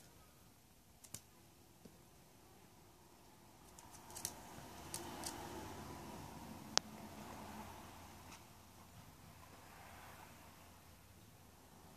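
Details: Quiet indoor room tone with a few sharp scattered clicks and taps and a soft rustle midway, with no animal call heard.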